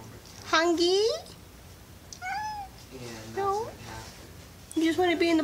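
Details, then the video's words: Indoor cat giving repeated meows: four clear, mid-pitched, whining calls, each bending upward then dropping, spaced about a second apart, over faint room noise. "Adorable cat meowing"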